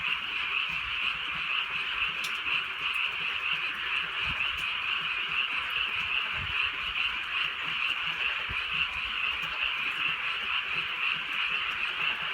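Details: Rural night in drizzling rain, frogs crying together in a thick, even chorus of rapid overlapping croaks that never pauses, with gentle rain noise and scattered soft drips.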